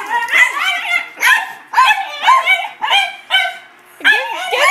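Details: Dachshunds, a red one and a black-and-white piebald, intimidated by a new golf club, bark excitedly in quick, shrill, harsh bursts, roughly two per second, some opening with a rising-then-falling yelp.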